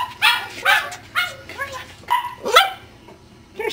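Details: Ten-week-old Cardigan Welsh Corgi puppies giving high, sharp puppy barks and yips, about two per second in uneven bursts, some notes bending downward, with a person talking softly in between.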